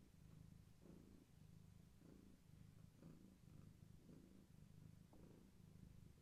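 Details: A low, even purr from Gaia, a pregnant long-haired tabby whose unborn kittens are active, swelling with each breath about once a second in a quiet room.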